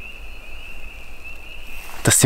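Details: A loud evening chorus of many frogs near Fundy National Park, Canada, heard from a campsite at dusk, blended into a steady high-pitched peeping drone.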